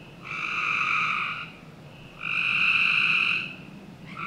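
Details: Backyard frogs in Northern Virginia on a summer night give two long, loud buzzy trills, each over a second, with a quieter overlapping caller between them and low background hiss.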